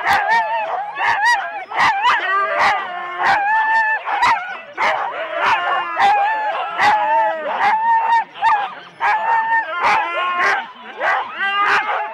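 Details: Four-dog Husky sled teams starting in Rendlesham, January 2016, recorded on analogue cassette tape: rapid excited barks and yips about every half second, mixed with steady whining howls from the pack.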